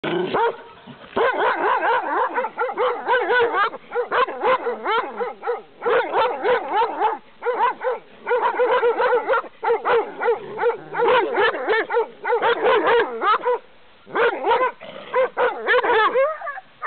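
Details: Angry dog barking fiercely through a fence at a walker on a quiet path: dense, loud volleys of rough barks in rapid bursts with brief pauses between, continuing throughout.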